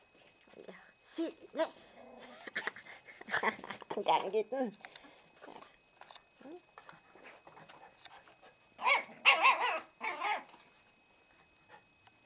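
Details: Miniature Pinscher puppies give high, squeaky yips and whines in short, uneven bursts as one tries to nap and three more puppies come to play.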